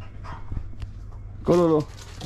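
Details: A German Shepherd on the way to the park gives one drawn-out, slightly wavering whine lasting about a third of a second, after faint low rumbling and a few soft knocks.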